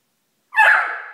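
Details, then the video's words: Zipper, a Miniature Schnauzer about one year old, indoors, startled by a box that held a hotpot: a single loud, short, tonal yelp lasting about half a second, rising sharply, then fading, with nothing else audible. "Zipper the Miniature Schnauzer Startled By Box"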